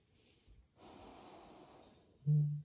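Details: Great Pyrenees puppy ChouChou, an 8-month-old 39 kg female, asleep indoors and snoring, lips flapping as she breathes; soft hissy breaths for two seconds, then one loud, low, droning snort closes the clip.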